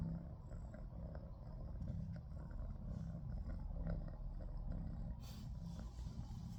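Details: Frightened cat the day after a big cat attacked it at night, giving a steady, deep rumbling purr that runs unbroken throughout, with a soft burst of noise near the end.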